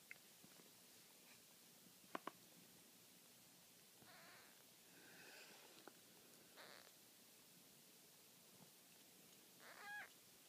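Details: Four-day-old kitten sneezing: soft, brief noisy bursts scattered through a quiet recording, with a slightly louder burst near the end; faint background hiss throughout.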